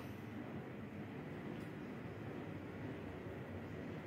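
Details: Steady low rumbling noise like a passing train or vehicle fills the whole stretch, with no animal voice.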